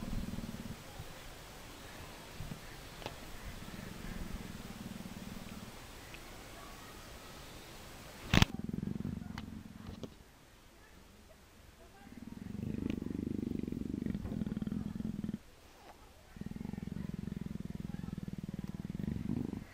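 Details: Persian leopard nuzzling and fawning affectionately, giving a deep, rumbling purr in long, steady bouts separated by short pauses, with one sharp knock partway through.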